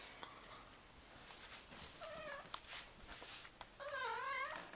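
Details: Neutered male blue point Siamese, nine months old, indoors after trying to mount a doll, gives two drawn-out, wavering meowing yowls, a short one midway and a longer, undulating one near the end, over low room noise.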